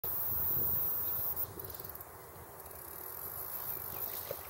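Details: Tettigetta dimissa cicada singing in the Boleč apple plantations on 4 June 2015: a continuous, very high-pitched hiss that breaks off briefly into rapid pulses, then resumes steadily, over low rumbling background noise.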